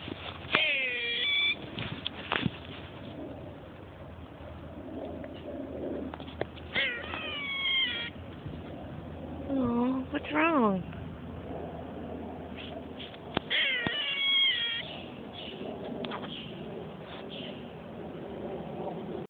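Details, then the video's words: Squirrel met on the way to work, barking at a person with weird noises: repeated harmonic squealing cries, some sliding downward, others wavering, separated by short clicks and gaps, with a person talking softly at times. "Crazy Squirrel Making Weird Noises"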